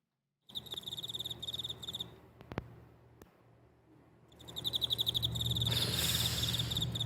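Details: A cricket sings by rubbing its wings, giving bright, high, pulsed chirps about four a second, breaking off briefly before resuming over a steady low hum and rising background hiss.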